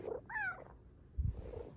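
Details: Pet cat indoors giving a short, bright meow that rises and falls over about a quarter second, followed by quiet low rustling while a woman greets it softly.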